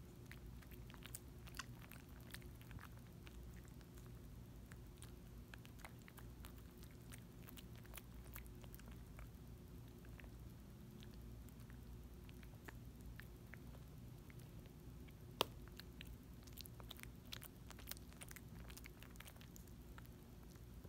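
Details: Quiet indoors, a small dog gnaws and licks a Dentastix treat, giving scattered dry clicks and crunches, sometimes bunched in quick runs, over a faint constant low hum.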